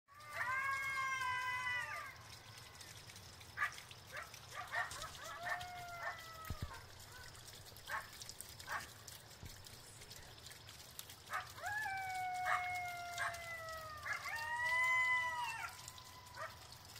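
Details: Coyotes howl near Clow Airport, Bolingbrook, in wavering, high sustained tones mixed with short sharp yips.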